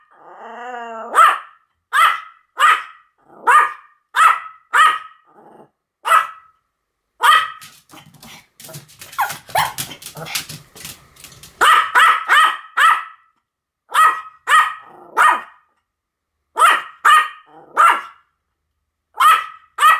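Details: Pomeranian pair Sam and Marin in duet barking: a long string of rapid, high, yappy barks, interrupted midway by a dense scratchy, rustling stretch overlapped with barks, then regular barking again to the end.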